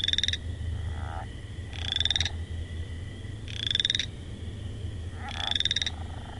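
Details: Frog calling: short buzzy pulsed bursts of about half a second, high-pitched with a rising whistled tone inside, repeated four times at roughly two-second intervals over a steady low hum.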